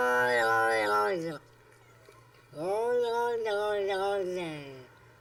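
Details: Domestic cat giving two drawn-out, tonal meows: a first call about a second long that drops at the end, then after a pause a longer wavering call that rises and holds before fading, in a quiet setting.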